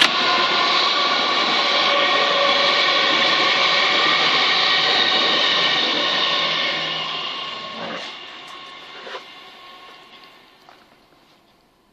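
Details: A loud, steady rumble and roar like a passing train, with a faint voice, gradually fading to near quiet after about eight seconds.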